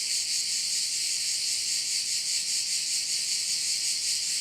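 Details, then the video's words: Korčula bay crickets giving a loud, steady, hissing high-pitched drone with gentle rhythmic swells, the insect buzz filling the whole recording. "view of one of the bays in Korcula with sounds of crickets"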